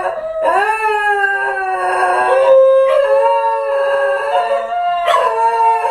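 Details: Pair of Basenji dogs howling indoors on hidden camera after their owner has left home; overlapping sustained howls, each starting with a sharp onset and holding a steady tone, renewed about every two to three seconds.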